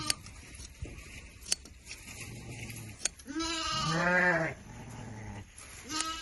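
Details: Sheep bleating during autumn shearing in a Kazakh village: one loud wavering bleat with stacked harmonics, a fainter bleat later, and clicks and handling noise around it.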